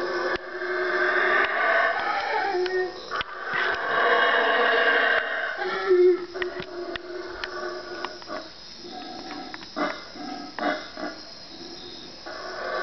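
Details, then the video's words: Howler monkeys in the Guatemalan jungle at 3am, a group of four calling from three trees away. Strong rough roaring for the first five seconds breaks into scattered, uneven calls and pauses. "howler monkey 3am wake up call"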